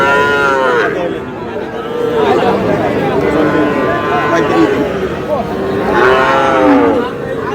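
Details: Young bull and heifer calves bought by a Noakhali farmer on 21 July, giving rising-then-falling harmonic moos near the start and again around six seconds, amid steady human chatter and bargaining voices.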